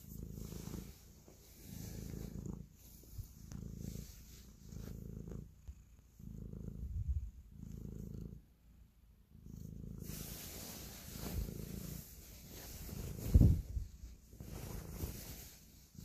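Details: Affectionate house cat purring as it kneads; deep pulsing rumble swells and fades with each breath, roughly every second, with one brief sharp knock near the end and a soft hiss throughout.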